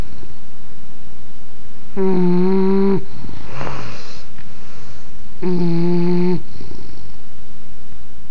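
An English bulldog snores in loud, buzzy, low-pitched rumbles, each lasting about a second, with raspy breaths between them.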